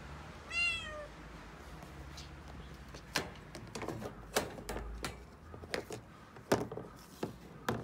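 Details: Six-month-old female calico kitten panicking and crying indoors in Okinawa as delivery men bring a new refrigerator: one short descending meow, then scattered knocks, thuds and moving sounds.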